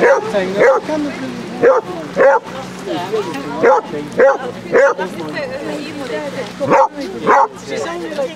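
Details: Repeated loud barks from Basset Hounds, 30 of them walking on Exmouth beach, Devon, in sunshine. The barks fall in uneven runs about every half second to a second, with a steady low hum underneath.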